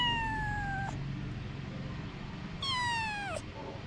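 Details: Domestic cat Anna, a mother with her kittens: two long meows, each sliding steadily downward, separated by nearly two seconds of quiet; faint low background rumble.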